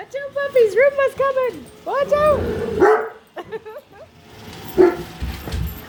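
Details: A female Great Dane indoors barks nonstop at a newly unboxed Roomba robot vacuum, giving short, high, arching yelping barks in quick bursts, with a voice heard nearby.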